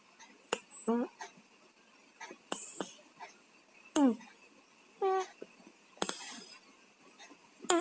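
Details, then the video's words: Sleeping cats with colds snore indoors, raspy nasal breaths with a whistling tone returning roughly every second, each breath short and clipped, between brief crackling sniffs. "KUCING PILEK, TIDURNYA NGOROK"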